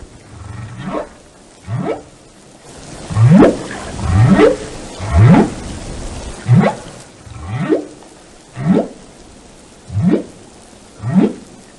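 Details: Whale song intended as relaxing: repeated upswept whoops about once per second, starting low and sweeping sharply upward, louder in the middle stretch, with a faint rushing wash like rain in the background.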